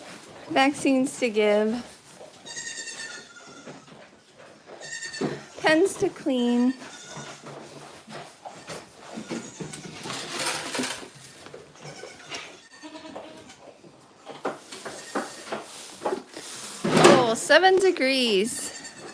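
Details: Goats at The Willful Goat Farm & Home, in a live farm stream, bleat in short quavering bursts near the start, around six seconds and again near the end, with human talk and rustling between calls.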